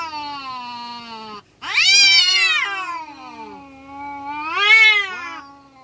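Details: Village domestic cats fighting, giving long drawn-out yowls that swell and waver, rising into louder strained wails twice and sliding back down, with harmonics stacked densely; no other sounds.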